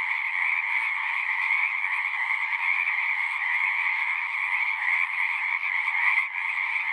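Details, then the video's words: Natural frog chorus: overlapping high-pitched trills and lower croaks merge into a steady hum, with a brief swell near the sixth second before settling back to the same dense level. "One hour of singing frogs."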